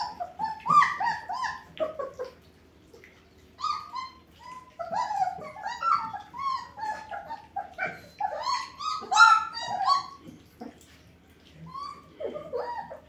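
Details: German Shepherd puppies from a Sieger x Karolina litter whimpering indoors in a small room: many short, high, yelping whines in overlapping bursts, some falling in pitch, coming in clusters with brief quiet gaps between them.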